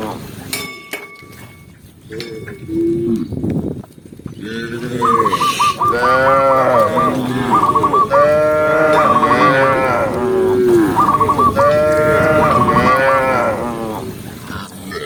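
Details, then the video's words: Tame cow walking calmly through a green forest in the countryside, giving long loud moos with rich stacked harmonics from about five seconds on, a steady high tone riding above, after quiet clicks and a short low call at the start. "the sound of a cow, cow sound cow Moo"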